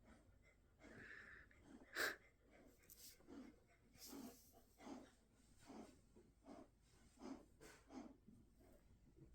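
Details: Jindo dogs San-i and Mong-i in a quiet room late at night; San-i snorts through the nose while Mong-i makes raspy 'kak-kak' noises. Soft, wheezy breaths repeat roughly every second, with one sharper burst early on.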